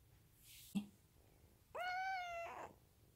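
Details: Munchkin kitten meowing in response to its owner's touch indoors: a single clear, drawn-out harmonic meow lasting under a second, steady then falling at the end, preceded by a brief thump; a woman speaks softly nearby.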